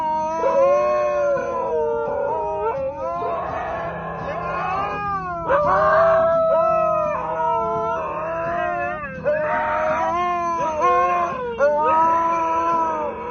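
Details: Dogs of different breeds making funny noises: long, continuous wavering howl-like tones that bend up and down in pitch, rich in overtones, held with barely a break for about thirteen seconds.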